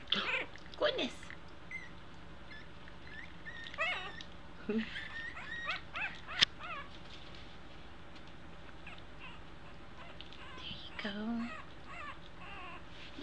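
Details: Several two-week-old American Eskimo Dog puppies learning to walk whimper and squeal in wavering, high-pitched cries, some rising and falling, with a few low grunts and a sharp tap among them.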